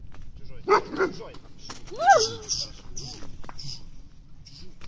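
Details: A shepherd dog in its first guard-training session gives a few deep, harsh guard barks while a person speaks nearby; finding: shepherd dog.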